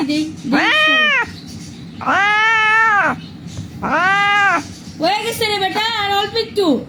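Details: Injured cat found lying on a street, crying while being treated: four loud, drawn-out meows, each arching up and falling back, spaced about a second apart, with people talking softly between cries.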